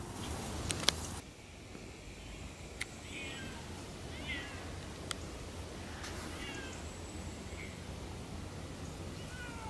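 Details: Siamese cats Otani and Yozora talking while walking off-leash through a little forest on a three-hour hike; several short, bent meows at intervals of one to two seconds, with sharp clicks and steps outdoors.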